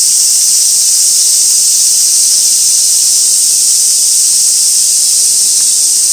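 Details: Cicadas on Gaikotsu Mountain, 2 August 2024, recorded as ambient background with a fixed camera near an old sawtooth oak swarming with white-spotted flower chafers: a steady, dense, high buzzing hiss that holds without a break.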